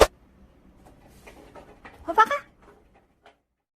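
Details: Dudu, a dog-like pet cat, answers in place of its older sister cat Hobak, who seems sulky. After a faint shuffling start, a short cluster of harmonic meow notes rises near the two-second mark, then a brief soft chirp follows.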